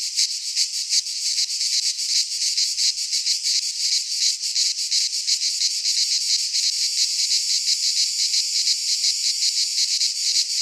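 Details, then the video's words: Cicadas singing in midsummer in a pine forest in Greece: a dense, unbroken high buzzing chorus with fast rhythmic pulsing throughout, steady in loudness, no other sounds. "Cicadas singing in midsummer"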